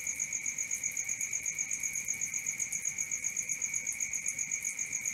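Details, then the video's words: Crickets at night in a steady nocturnal chorus: a continuous high, shrill trill with pulses repeating rapidly about four times a second, a second bright tone layered above, no other sounds. "Cricket 1 hour for Sleeping & Relaxation"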